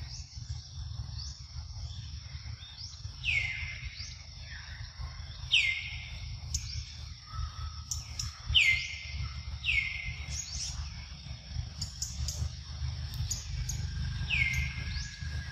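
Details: Luno, a baby monkey, in the morning around milk feeding: sharp, high whistled cries that drop quickly and level off, given in a loose series about every two seconds, over a steady high insect-like hum and low rumbling background noise.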